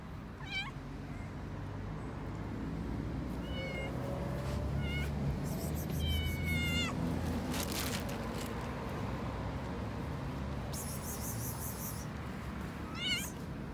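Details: Hungry stray cats on a street in Istanbul, Turkey, meowing for food: several short harmonic meows, some wavering, come at intervals over steady low traffic rumble, with rustling and clicks in between.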